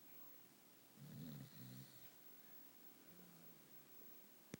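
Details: Female Shetland sheepdog mix asleep upside down in her bed, snoring. Two low, rumbling snore pulses come near the one-second mark, then a fainter drawn breath, in a quiet room with a sharp click at the end.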